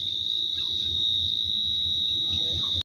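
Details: Crickets calling at night inside Jaldapara forest in the Dooars around a resort in October, a continuous, steady, high-pitched trill without pauses over a faint low rumble.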